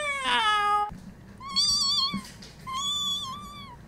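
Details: Cats meowing: a long harmonic meow falling in pitch, followed by two higher, thinner, level meows about a second long each, separated by short pauses, with faint low background hum.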